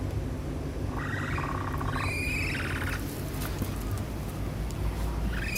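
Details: Capybara calls recorded at the Capybara Forest enclosure of Nasu Animal Kingdom: a few short, thin whistles, level then rising at the end, heard over constant loud low-pitched background noise.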